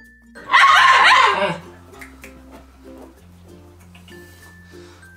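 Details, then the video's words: Alaskan Klee Kai mini huskies, pet dogs upset and confused as their owner naps in their bed: a loud, harmonic, wavering yowl lasting about a second, followed by quiet, with steady background music throughout. "ANGRY Mini Huskies Confused & Upset When Dad Takes Nap In Their Bed"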